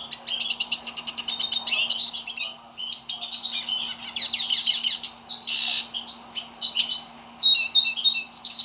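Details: Spirited pintassilgo (hooded siskin) kept as a pet bird, singing a fast, continuous twittering song of buzzy trills, sharp chips and short whistled notes in dense bursts with brief pauses; a faint steady low hum runs underneath.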